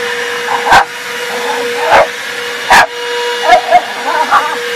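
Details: Rat Terrier barking while attacking a running vacuum cleaner, the household sweeper; four or five sharp, loud barks spaced about a second apart over a steady droning vacuum hum.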